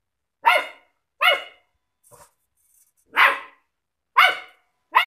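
A German Shepherd puppy gives high, yappy barks, each short and ringing, about one a second.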